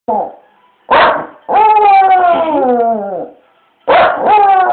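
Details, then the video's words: Pet dog sitting at a window, barking in a very weird way at loud music that started playing in the street: a short yelp, a sharp bark, then a long wavering howl-like bark sliding downward, followed by two more abrupt barks. "Funny dog bark"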